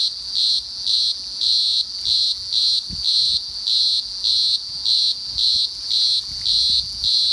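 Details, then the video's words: Singing green grocer cicada producing an intense high-pitched buzz chopped into rhythmic bursts roughly two per second, the pulses evenly spaced and sustained throughout, over a quiet low background. "Green Grocer Singing"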